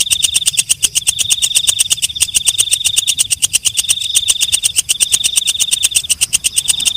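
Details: Walang kecek (night grasshopper) stridulating at night: a buzzy, high-pitched ringing with rapid rhythmic clicks throughout, interrupted by several short gaps in the tone.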